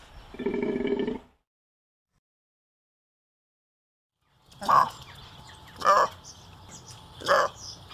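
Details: One coarse, buzzing bellow from a golden takin, then a long silence and three short, sharp barks at roughly one-second intervals.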